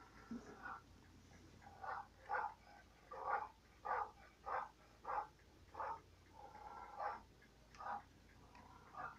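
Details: A steady run of dog barks, roughly two every second, repeated over nine seconds with little other sound.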